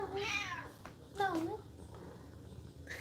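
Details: Domestic cat indoors giving two drawn-out, wavering meows, the first longer and falling, the second rising then dipping, with low room hum beneath and a faint squeak at the end.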